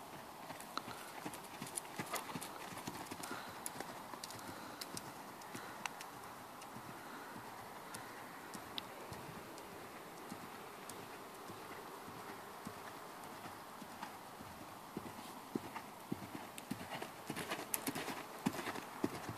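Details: Ferozza, a mare born in 2009, moving on a hard surface: a long run of crisp, uneven hoof strikes near a hundred per minute, some louder clacks standing out, with the clatter busiest in the last few seconds.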